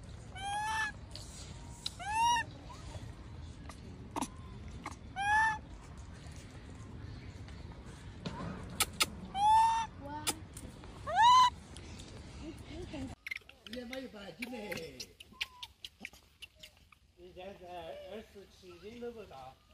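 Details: Abandoned baby macaque, left by its mother and lying on the ground, crying: loud, harmonic, arching cries repeat every few seconds, then give way to quieter, wavering, lower whimpers in the last third.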